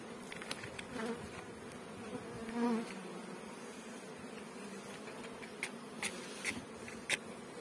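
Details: Honey bees at a bee farm in Pakistan, a steady low hum of many bees with a few louder buzzes passing close and brief clicks and knocks in the background.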